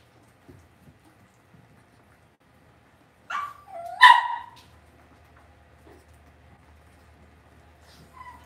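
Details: Cavalier King Charles Spaniel puppies in an indoor home puppy pen; two sharp yelps close together mid-clip, then a faint squeak near the end, with a low steady hum in the room.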